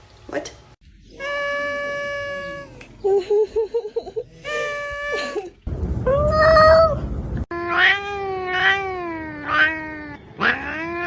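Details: Domestic cat meowing repeatedly in a funny cat sounds compilation: several separate drawn-out meows, some bending up and down in pitch, with a human voice and room noise around them.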